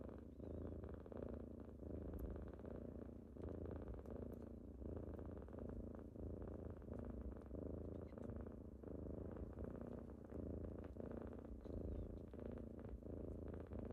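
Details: Morning purring from kittens rousing their owner at home, a steady low rumble pulsing in breath-like waves roughly 44 times a minute, with occasional tiny ticks and shuffling in the background.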